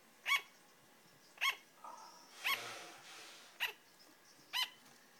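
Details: A female sugar glider gives sharp, high yapping barks, one roughly every second, like a tiny dog.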